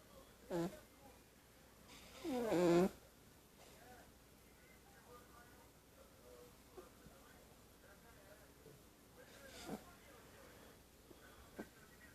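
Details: Sleeping kitten snoring indoors: one strong, drawn-out, raspy harmonic snore near the middle, a shorter snort before it, then faint soft breaths in a quiet room.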